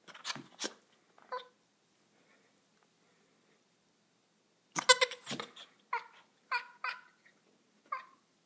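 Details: Little goat making weird noises: after a few scattered noisy bursts and a gap, a run of short, nasal, harmonic bleats follows in quick succession, about five in three seconds, indoors with little background.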